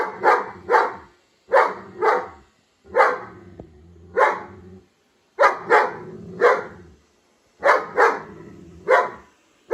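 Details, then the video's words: A German Shepherd confronting a robot vacuum, barking steadily in doubled loud woofs, pairs repeating roughly every one and a half seconds. "German Shepherd meets Robot vacuum"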